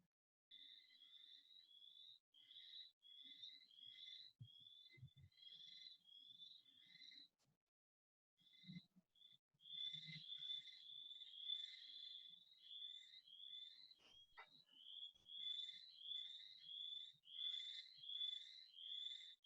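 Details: Boreal chorus frogs calling in spring 2020 in the Kingston area give high, pulsed, rising trills in quick overlapping series; they breed in fish-free ponds.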